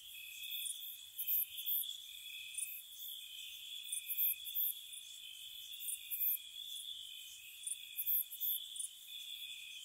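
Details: Crickets chirping at night in spring around a cottage, a steady layered chorus of high trilling tones with brighter pulsed bursts above them, rising and falling in loudness every second or two; no other animals or voices.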